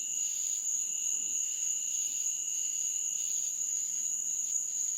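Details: Insects chirp in a meadow at night in a steady, high-pitched chorus, one bright continuous band over a fainter lower one.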